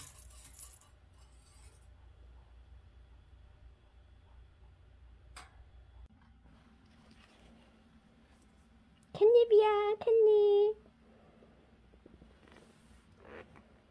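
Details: Rescued kitten Cherry, a street cat, indoors about a week after rescue; after a quiet stretch of faint room noise, two loud, clear meows sound in quick succession, the first bending up then down, the second longer and drawn out.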